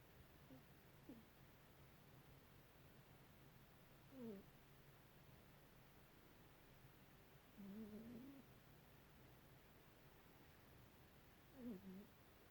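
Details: Domestic cat sound asleep and snoring: four soft, brief nasal snores come roughly every three to four seconds over a steady low hum in a quiet indoor room.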